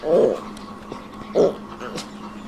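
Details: Pet dogs at home being fed biscuits and sweet bread give two short, nasal whining whimpers about a second apart, with a steady low indoor hum beneath.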